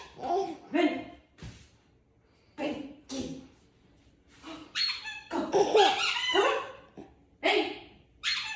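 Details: Bernese Mountain Dog being groomed by a baby indoors: a few short, deep harmonic woofs at the start, then louder, higher bursts mixed with people's voices and background music.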